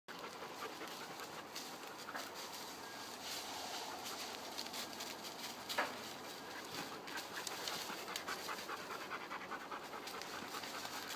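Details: Dogs playing around, panting steadily in quick, breathy puffs of rushing air. The noisy, hissing breaths run without pause through the clip, with a few sharper clicks and knocks among them.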